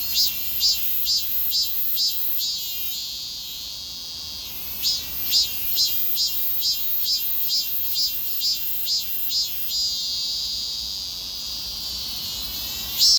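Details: Cicada in summer; a loud, very high buzzing drone pulses in rhythmic surges roughly twice a second, with a brief pause near four seconds before the pulsing resumes and then settles into a steady whine.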